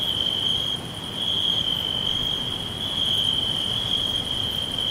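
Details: A chorus of crickets in a green forest keeps up a shrill, even trill, dipping briefly near the start before holding steady, with quieter pulsing notes overhead and a diffuse background hiss.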